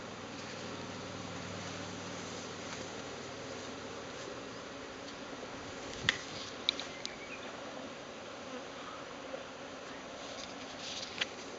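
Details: Japanese honeybee swarm cluster breaking up as the bees form a cloud and fly off to a new home; a dense continuous buzzing drone fills the air, with a few sharp clicks.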